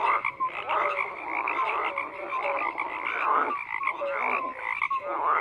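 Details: Thick overlapping frog croaks form a constant raspy drone. Short tonal notes and a few rising squeaky calls stand out briefly, and the chorus dips for a moment midway before resuming.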